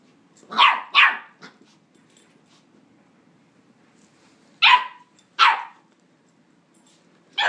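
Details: West Highland White Terrier puppy, nine weeks old, recorded on an iPhone 4s: two sharp, bright barks in quick succession and a softer third, a pause of about three seconds, then two more barks and the start of another.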